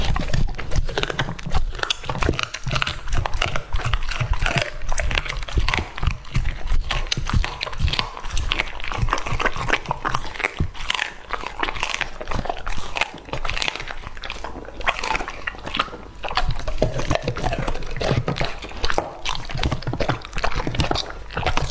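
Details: Lucky, a two-and-a-half-year-old English Labrador, eats raw meat indoors: dense, wet crunching and smacking bites in rapid irregular bursts, with heavy low thumps throughout and brief quieter pauses.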